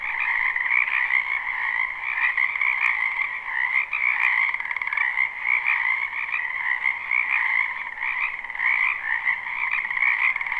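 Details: Spring frog chorus from a backyard wetland, recorded live and unlooped. Countless overlapping croaks merge into a constant trilling wall of sound, dotted with a few faint clicks.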